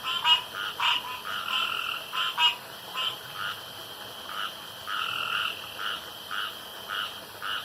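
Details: Nighttime pond frogs croaking, with several callers overlapping; some notes are clipped and sharp, others drawn out and rasping, spaced unevenly over a soft hiss.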